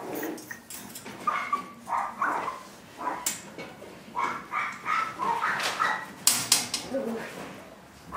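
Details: Chihuahua puppies yipping and barking in quick, overlapping bursts, some high and squeaky, others rougher, with sharp clicks and a voice mixed in among them.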